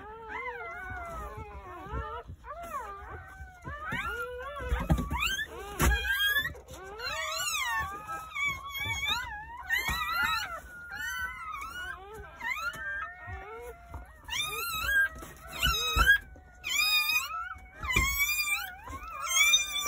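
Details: Newborn Jindo puppies crying on New Year's Day at a rural home, part of a litter of nine born over the morning. Many high, squeaky, wavering cries overlap constantly, climbing higher toward the end, with occasional thumps.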